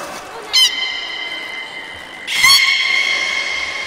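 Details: At Port of Nagoya Public Aquarium during the belugas' leftover-feed time on 13 May 2017, two loud harmonic whistles sound, each opening with a quick upward chirp: a short one near half a second and a longer sustained one from about 2.3 seconds.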